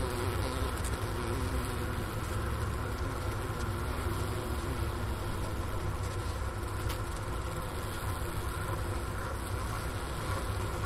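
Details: Honey bee colony wintering in a hive at the Ohio State University Wooster campus, near 4PM on January 16, 2024, at 15°F outside, recorder near the inner-cover hole by a sugar brick; a steady, low, unbroken droning hum.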